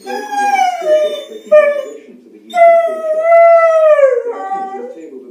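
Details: Pet beagle at home singing along to Big Ben chimes on the radio news: long sustained tonal howls that slowly fall in pitch, with a short break and a second drawn-out howl ending in a downward slide, over low radio sound.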